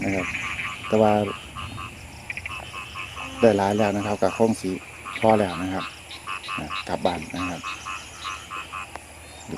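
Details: Narrow-mouthed frogs calling in heavy rain during a torchlight frog hunt for a seasonal dish. Deep, nasal, moaning croaks come in short harmonic bursts, several callers overlapping, over a steady high drone and faint human voices.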